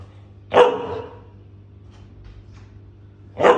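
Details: Five-month-old Siberian Husky puppy, male, barking in reaction to a lighter he hates: two sharp, loud barks about three seconds apart, quiet between them, over a steady low indoor hum.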